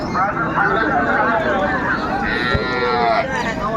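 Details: Cow at Raniganj cattle market in Dinajpur, Bangladesh, among cows with calves wet from light rain, 29 May 2025; a drawn-out harmonic moo rises and falls over steady crowd chatter and market noise.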